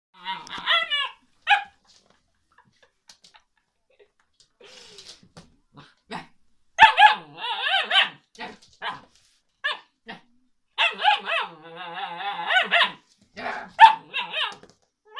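An Alaskan Malamute puppy 'talks' in bursts of yips, whines and woo-woo howls with growly undertones.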